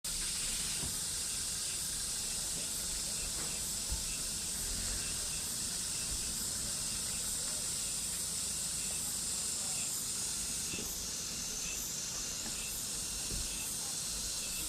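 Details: Cicadas in summer, a dense unbroken high-pitched hiss-like drone holding steady throughout, with faint regular pulsing in the upper band and low background rumble.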